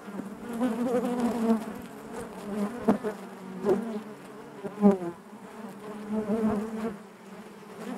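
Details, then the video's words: Inside a honey bee hive, a continuous low buzzing hum swells and fades, with several short louder bursts and knocks standing out above the massed droning of the colony. "bees therapy hive natural buzzing sound"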